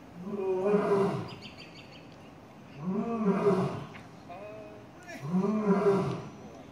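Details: A blonde male lion at a zoo, hidden behind rocks on a day when the lions were very vocal and playful, gives deep, moaning roars, each swelling and fading, repeated about every two and a half seconds.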